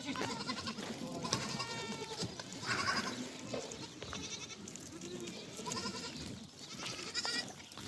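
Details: Goats and kids bleat repeatedly at a village farm reunion of mothers and kids, wavering nasal cries overlapping as kids search for their mothers, against a busy farmyard background.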